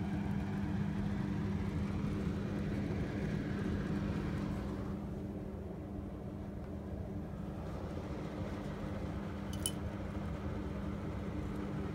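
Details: Continuous low traffic or engine drone with a faint steady tone, dipping slightly midway, plus a single sharp click near the end and no animal sounds.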